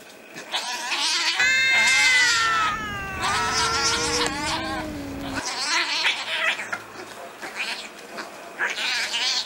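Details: Fighting street cats: a harsh, noisy screech with a tonal yowl sliding downward, followed by bursts of raspy hissing and spitting as the scuffle continues.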